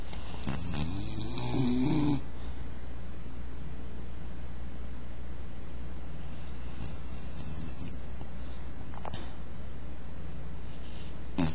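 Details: Bull terrier (Canis familiaris), snoring.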